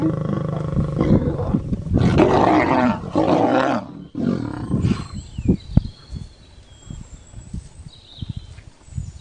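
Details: During lion and lioness mating, a loud, ragged roar-snarl bursts out for about three seconds, followed by fading grunts and short rough huffs, with a few high bird calls in the background.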